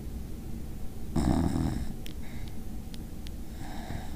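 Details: A sleeping Basenji dog snoring indoors. One long, rough, throaty snore swells for under a second, followed by a few faint snuffles and a softer, breathy exhale.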